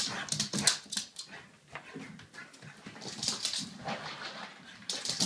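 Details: A French Bulldog makes rapid, breathy snorts and high whimpering whines in an excited burst, excited that it's Friday.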